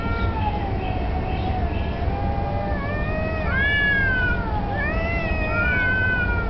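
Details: Street cats, at least two, apparently challenging each other for territory or possibly mating, with a black cat taking a submissive stance; long drawn-out wavering yowls rise and fall in overlapping bends, with a steady low rumble underneath.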